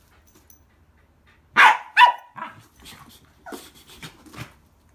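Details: Pembroke Welsh Corgi sisters roughhousing at an inn just after arrival; after a quiet start, two loud, sharp barks half a second apart, followed by softer huffs, snorts and scuffling sounds.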